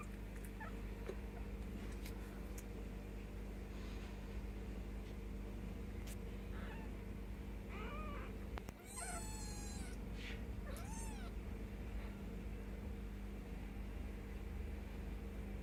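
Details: Ten-day-old Bengal kittens beside their mother Mischief Maker give a run of thin, high, wavering mews around the middle, several quick cries in a row, with a constant low electrical hum beneath.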